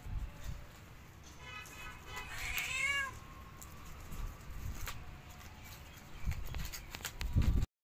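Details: Cat family of a mother and her four kittens exploring the rooftop of their new home for the first time; one drawn-out, high, tonal meow that rises then bends downward, followed by soft rustling and scattered thumps.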